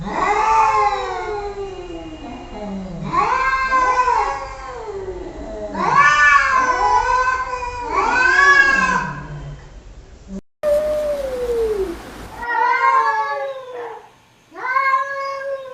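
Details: Kittens and cats meowing: a run of repeated arching meows rising then falling, about one every two seconds, then after a cut more short, higher meows with pauses between them.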